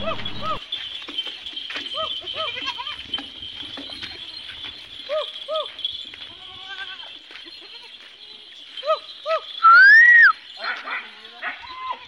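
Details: Sojat goat kids, young bucks and does, at a goat farm in Indave, Sakri taluka, Dhule district, give short, nasal, arched bleats again and again, several voices overlapping, over a steady hum, with one loud whistle near the end.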